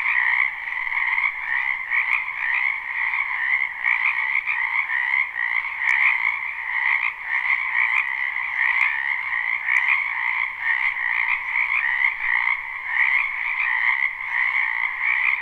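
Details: Spring wetland frogs in a live, unlooped recording: an unbroken wall of overlapping croaks and trills, many callers at once, steady in loudness with faint clicks over the top.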